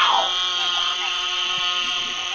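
Eastern narrow-mouthed toads give a nasal, buzzing bleat, droning steadily like crying lambs or babies.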